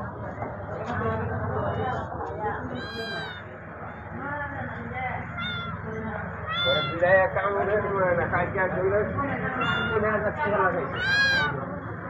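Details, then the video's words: Stray Persian kittens wanting food and shelter meow in high, rising-falling cries, several close together around three, seven and eleven seconds, over steady background chatter and speech in Bengali. "Stray Kittens want foods"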